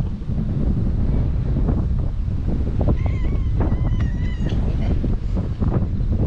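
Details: Stray cats at a harbour in Japan, a white cat and a black-and-white companion walking side by side; a few short wavering meows near mid-recording, partly buried under constant low wind rumble.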